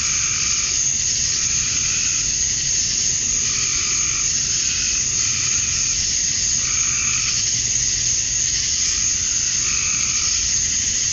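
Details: Male cicadas chorusing at dusk on a summer night in Georgia, USA, chirping to attract females; a dense, unbroken high-pitched buzzing drone, with softer lower pulses swelling and fading roughly every second.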